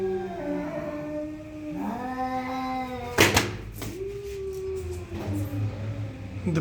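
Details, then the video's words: Two cats squaring off: low, moaning yowls that climb and fall, cut by a sudden loud clatter of knocks. After the clatter, a quieter, steady wail continues with faint background bumps. "Cat vs Cat "The ultimate face off" Horrible sounds"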